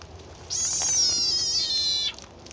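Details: Frog screaming while a snake eats it: one long, shrill, harmonic-rich cry lasting about a second and a half, sliding slightly downward before cutting off, over quiet background hiss.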